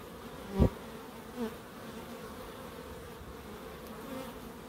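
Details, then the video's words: A bee buzzes loudly past early on in a small wildlife garden beside an end-terrace house in Crookes. A second, softer pass follows, then a steady background hum of more bees. "1hr of Relaxing Bees"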